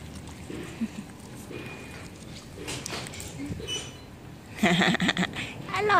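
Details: Pit Bull puppies, the litter of Goofy and Samba, give a quick burst of short, high whimpering yelps late on, after quieter scattered squeaks over low rustling household noise.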